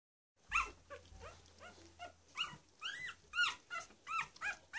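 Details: One-week-old Cavalier King Charles Spaniel puppies from a litter, giving repeated high squeaky squeals and whines, each a short rising-falling cry, about a dozen in under five seconds, with a faint low hum underneath.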